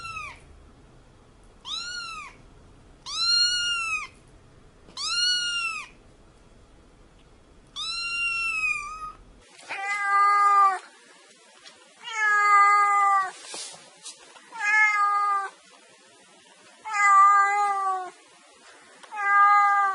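A domestic cat gives repeated meows, each a short arched wail, about every two seconds.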